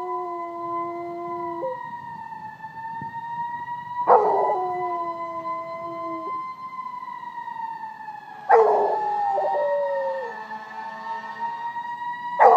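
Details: A Rottweiler, set off by firetruck sirens, makes a siren-like howl in long, sustained tones, swelling and falling back in drawn-out waves.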